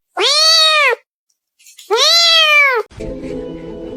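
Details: Domestic cat, a kitten, gives two loud, drawn-out meows, each under a second with rich stacked harmonics rising then falling, separated by a short pause, followed by faint background music and room noise.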